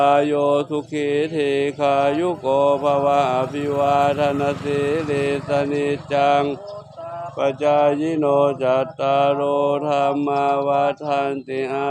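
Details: Male voices chant a sustained, droning mantra with rhythmic breaks, and no animal calls are heard.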